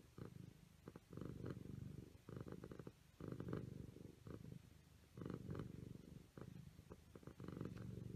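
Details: Siamese kittens playing, purring in rhythmic low rumbles roughly every second or so, each burst separated by short quiet pauses, with light tapping sounds.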